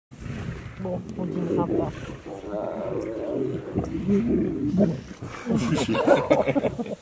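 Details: Wild lion pride feeding at lunchtime on safari in the Makalali Conservancy near Kruger National Park, South Africa: continuous deep, rough growls and snarls as the lions squabble over the carcass, rising into louder bursts.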